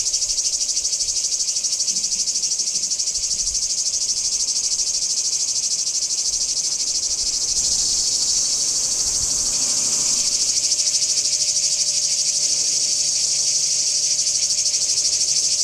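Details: Singing cicadas in Kardamyli, 2013, keep up an unbroken piercing buzz pulsed about three times per second; the drone swells louder and brighter after the midpoint, over a faint constant hum.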